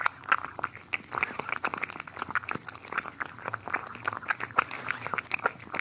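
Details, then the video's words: Cats eating up close: rapid crisp crunching and clicking bites, irregular and dense, with soft wet chewing in between. "ASMR Cats Eating"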